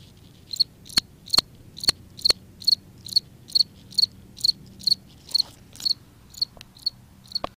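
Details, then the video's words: Cricket singing at night-time quiet in a front yard: clean, high, pulsed chirps repeated about twice per second, roughly sixteen in a row, steady and evenly spaced, with a few faint clicks between. "How a Cricket looks making noise"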